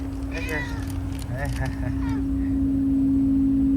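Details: Fukuoka community cats found hiding after a typhoon in Japan. Two brief bursts of wobbling, meow-like calls in the first two seconds, then only a constant low drone with background chatter.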